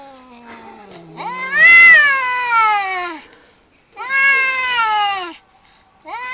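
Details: Male cats fighting: a low growl leads into loud, rising-then-falling screaming yowls, two long wails a second or so apart, with another cry starting at the end.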